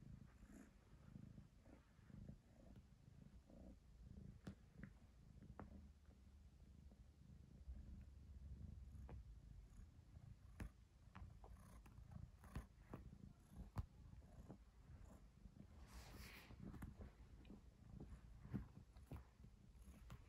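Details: Domestic cat playing with a hair tie indoors, purring steadily as a low continuous rumble throughout, broken by scattered sharp clicks and taps from the play.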